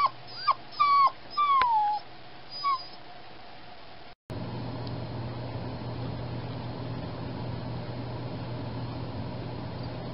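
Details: Recently spayed foster puppy whining through the night: several short, high, wavering whimpers with rising and falling slides in the first three seconds, then a steady low hum of background noise with no further calls.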